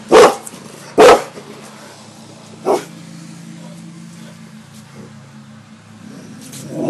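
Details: Gia the cane corso and Deuce the bullmastiff, house dogs trained to bark on command and guard the house, give two loud, sharp barks about a second apart, then a single softer bark, over a steady low hum.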